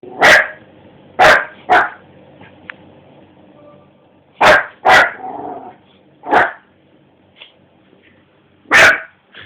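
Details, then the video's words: Dog barking indoors at 3 am at its own reflection on a television screen: seven sharp, loud single barks spaced irregularly over about nine seconds, with a short rough growly tail after one pair and quiet room background. "barking at the TV(himself)"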